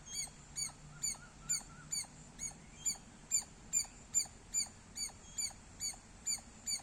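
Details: Squirrel giving loud chirps, a rapid series of sharp high pitched chirps repeated about twice per second with a steady, regular rhythm over quiet background.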